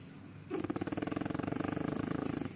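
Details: One of two French Bulldogs sleeping together gives a long, rattling snore, a fast fluttering buzz drawn out over two seconds.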